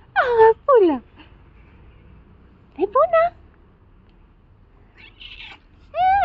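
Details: Tuxedo cat meowing indoors: a clear falling meow, a second sliding downward, then a short rising-and-wavering meow near the middle and a final loud drawn-out meow after a quiet gap, with a faint voice-like sound between.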